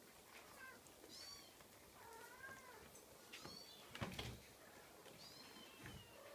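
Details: A Scottish Fold kitten calls with thin, high, arching mews, several in a row, interrupted by a loud thump and scraping near the midpoint before more mewing resumes.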